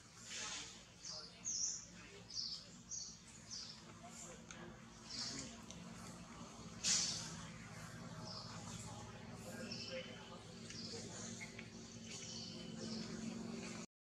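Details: Baby monkey named Jody, a young animal that needs plenty of milk for growing, giving short high-pitched squeaks and squeals at irregular intervals over a steady low hum of room and background noise.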